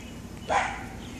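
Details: Zoe, a female black Labrador Retriever, refuses to go into the water to play. She gives one short, sharp bark at the water's edge. The clip is otherwise quiet apart from a faint steady background.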